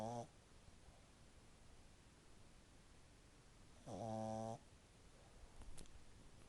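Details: French Bulldog puppy snoring loudly in its sleep after about ten minutes of play; two short, buzzy, harmonic snorts, one at the very start and another near four seconds, with quiet indoor room noise between them.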